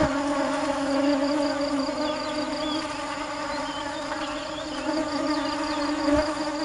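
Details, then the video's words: Busy honey bees searching for nectar produce a continuous low, humming buzz that rises and falls slightly in loudness, with a few faint short chirps in the background. "Tiếng kêu và hình ảnh những chú ong chăm chỉ tìm mật ngọt"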